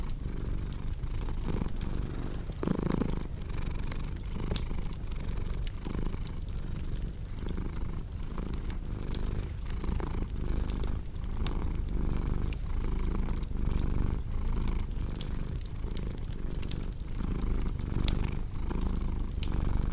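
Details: Steady low purring from a cat, rhythmic breath-paced pulses of rumble, layered with crackling fireplace snaps and occasional louder pops.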